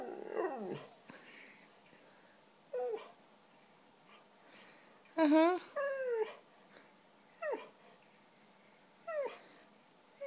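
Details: White female Siberian Husky talking because she wants cheese doodles; spaced, whining, descending vocal moans, several separate short phrases with quiet gaps, some faint human voice around.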